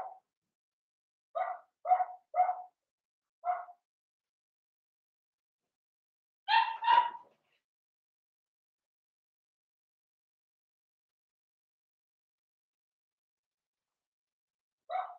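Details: Indoor puppy pen with a litter of five blenheim Cavalier King Charles Spaniel puppies aged seven weeks: scattered single high-pitched yips separated by silences, with a louder double bark near the middle.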